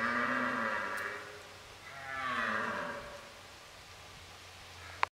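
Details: Rutting red stag in a hunt preserve, its roaring intensified as fights break out; two drawn-out, rasping bellows with bright harmonics swell and fade, the second peaking mid-clip, followed by a quiet stretch and a brief click.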